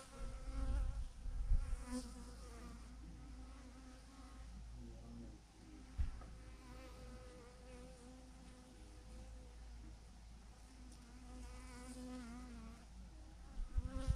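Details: Massive clump of thousands of honey bees on a branch, giving a continuous, even drone with several stacked humming tones that waver slightly, over steady low rumble, with a few sharp knocks and handling bumps.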